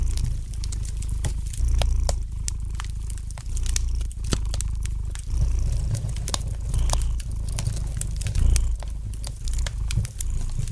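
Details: A house cat's soft, rhythmic purr, a throbbing low hum alternating louder and quieter phases about every two seconds, accompanied by the light crackling and ticking of a fireplace fire.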